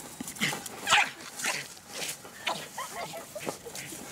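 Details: Quick yapping from an American Eskimo Dog, roughly two bright, breathy barks per second with uneven spacing, one louder bark near the first second, and faint background hiss throughout.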